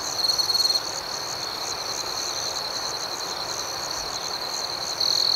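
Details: A continuous shrill cricket trill at night, layered with rapid pulsing chirps; a louder burst of chirping stands out at the beginning and again at the end.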